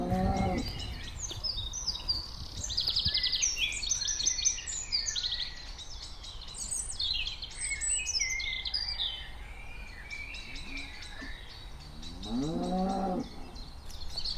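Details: Cows walking around give low, drawn-out moos at the start and near the end, with busy birdsong chirping throughout.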